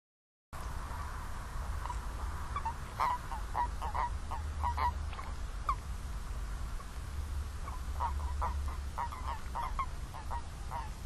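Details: Toads calling together: many short, nasal, mid-pitched notes overlapping and repeating irregularly across the whole stretch, over a steady low rumble of background noise.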